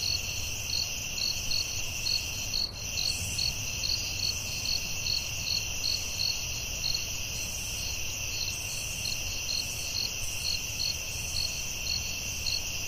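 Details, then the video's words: In a forest at night, crickets keep up a constant high ringing trill while a chorus of short chirps repeats quickly, broken by a single brief click near the start. "Soothing Cricket🦗 Sounds at Night"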